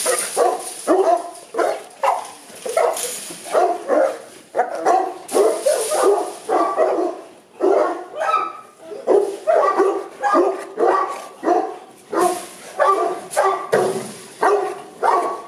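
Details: Kennel Boerboels in Accra, Ghana, give a steady stream of loud, resonant barks, some closely paired, with occasional hissing noise behind them.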